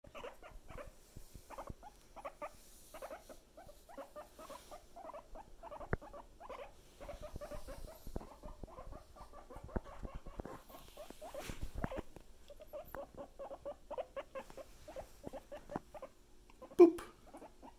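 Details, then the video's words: Pet guinea pig squeaking in a fast run of short, mid-pitched squeaks repeated several times a second, with brief pauses. Faint rustling and tapping in the background, and one sharp bump near the end. "Boop! The Squeaky Piggy"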